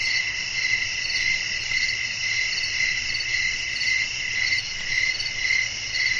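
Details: Crickets call through a calm nighttime nature scene with wind: a dense, shrill, ringing trill with gently throbbing pulses about twice a second, and a faint hushed rumble underneath.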